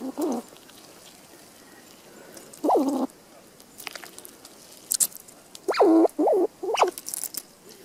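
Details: Squirrel in a winter forest giving short nasal calls, several brief bursts rising and falling in pitch, clustered near the end with gaps between, amid light rustling and scattered crackling sounds.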